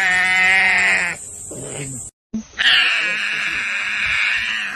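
A tiger cub gives loud, harmonic, bleating mews, one drawn-out call followed by another after a brief pause.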